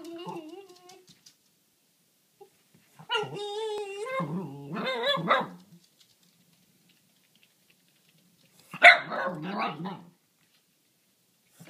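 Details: Cisco, a pet dog, vocalizing at a rabbit on the other side of the fence: a drawn-out whiny howling call with wavering pitch, then a quiet gap and a rough burst of barks near the end.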